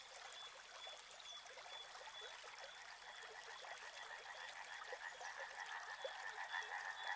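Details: Frogs along a river, their croaking starting faint beneath trickling, babbling water and building into a clearer pulsing chorus toward the end; a brief high, rapid ticking opens the recording.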